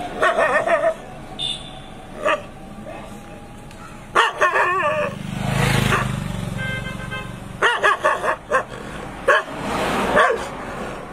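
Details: Angry German shepherd barking loudly in the street: clusters of sharp harsh barks in quick bursts, with a vehicle passing and rumbling in the middle.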